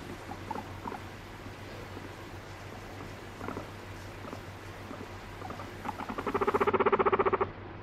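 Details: Pet guinea pig angry when petting stops, biting and urinating: faint scattered squeaks, then a loud rapid pulsed chirring burst of about fifteen quick beats near the end, over a steady low hum.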